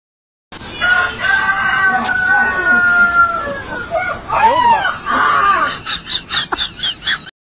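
A dog gives a long, drawn-out howl that mimics a rooster's crow, falling slightly at the end.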